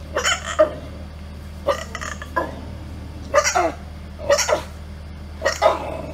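A dog gives short, hoarse, grunting barks that sound oddly like a pig, repeated about every second.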